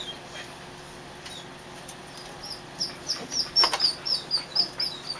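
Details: Three-week-old Kerry Blue Terrier puppies from Sam and Gloria, kept in a dog show trailer, give a run of thin, high squeaks after a quiet start, repeated about twice a second with uneven spacing, over a steady faint hum.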